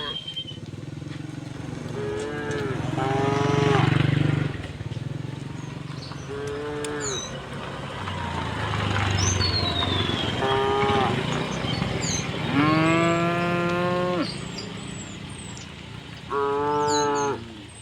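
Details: Cows walking through a village toward the fields, mooing in several drawn-out harmonic calls spaced a few seconds apart, with engine rumble from passing vehicles and small birds chirping in the background.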